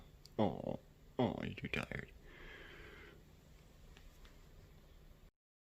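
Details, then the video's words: An Egyptian Mau cat, just woken up and surprised, gives two short, harmonic chirping calls that drop in pitch, followed by a soft rustle. "Egyptian Mau Cat Gets Woken Up, Makes Cute Sounds, Part 2 - Adorable!"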